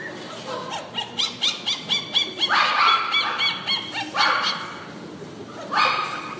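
A poodle gives a quick string of high, sharp yaps, then a few longer, whiny barks.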